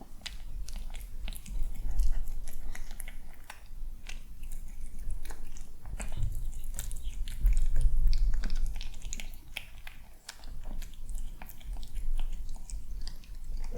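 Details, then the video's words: Indoor breakfast of a sweet, poised kitten on a peaceful morning, while other cats chatter elsewhere; steady crunchy mastication at about three bites per second, with a couple of louder thumps and low background hum. "Watch Kitten Enjoy Breakfast!"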